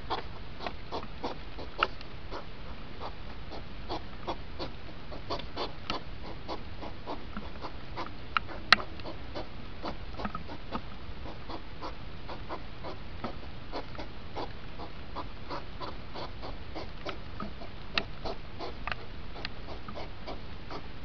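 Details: Hedgehog rut, two hours sped up into five minutes: a steady run of short, soft puffing huffs, several each second, over a faint hiss, with an occasional sharper click.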